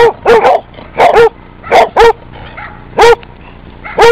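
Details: Basset Hound barking in short bursts, mostly paired barks with gaps of about a second, loud and close, with a faint background hum between barks.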